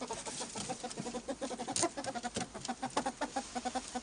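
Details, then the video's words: Pet albino ferrets in a group, making rapid soft clucking chatter: short pulsed notes repeat several times a second throughout, with one brief louder scuffing burst near the middle. "Noisy Albinos"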